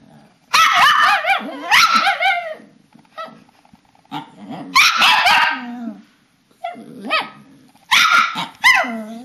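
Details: Papillons and a shih-tzu performing their bedtime ritual in March 2007, several dogs together giving loud, high yappy barks and whining yowls in bursts, with wavering rising-and-falling howl-like notes between pauses.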